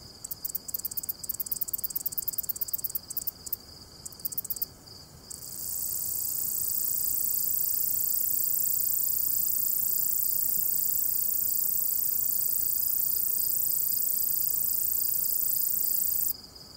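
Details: Katydid singing in Jackson County, North Carolina: opens with a stuttering series of short high raspy pulses for about five seconds, then settles into a long unbroken shrill buzz lasting some ten seconds before stopping.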